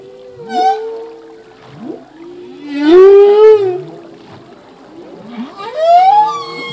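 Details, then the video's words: Humpback whale song from a male, part of a full-length song whose phrases change yearly: a short upward cry, a brief swoop, then a loud arching moan at three seconds and another rising wail near six seconds. "Whale song - full length humpback whale song"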